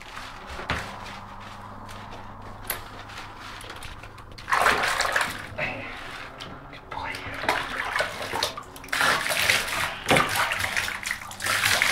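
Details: Bathroom sounds of splashing and running water with bursts of human speech and a door knock, no animal voice heard.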